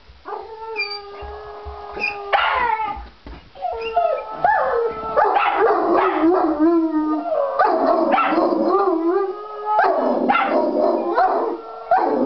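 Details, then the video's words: Jack Russell Uther and Irish Wolfhound Galahad howl together, asking for a walk; layered, quavering tones sweep up and down and blend into a rough, near-continuous chorus with short yips mixed in. "Hilarious Video of Uther (Jack Russell) and Galahad (Irish Wolfhound) howling to go for a walk!"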